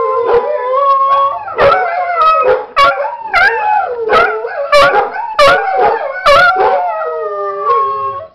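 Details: Macon, a pet dog, howls in response to a recording of dogs Sidney and Shadow barking; loud, sustained, harmonic howls rise and bend, broken by short sharp barks about every second.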